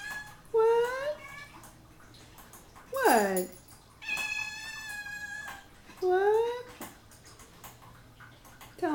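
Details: Three hungry house cats waiting for breakfast on a Saturday morning meow insistently indoors. One call swoops down then up, others are long and steady or rise at the end, about four calls, with human speech around them.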